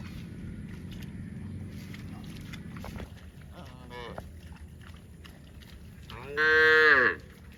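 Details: Cows mooing while running in the fields: a soft harmonic moo near four seconds, then a loud, drawn-out bellow around six and a half seconds, over steady low rumbling background noise.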